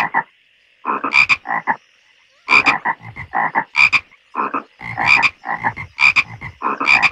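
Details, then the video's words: Croaking frogs in a pond deliver irregular bursts of rasping, pulsed calls, sharp ringing doublets mixed with deeper grating notes, broken by a silent pause of about a second early on. "Frogs Croaking In The Pond"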